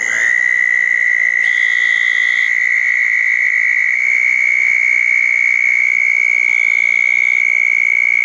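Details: Wet June night in 2014 after a thunderstorm, with southern toads gathered around two small ponds. An unbroken high-pitched trill fills the whole stretch, creeping slightly upward in pitch. Short, fainter, higher buzzy notes appear now and then.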